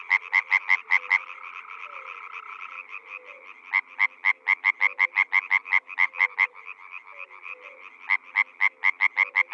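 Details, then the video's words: Paddy-field water frog croaking in quick pulsed bursts, several runs of rattling notes broken by short gaps, with a chorus of fainter frogs continuing in the background. "suara katak air"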